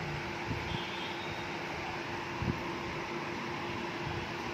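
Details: Steady broadband mechanical hum like a fan or air conditioner, with a few faint low thumps and no animal voice.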